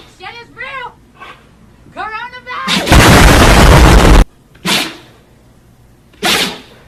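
A Siberian Husky gives sharp, noisy sneezes after a person's questioning voice.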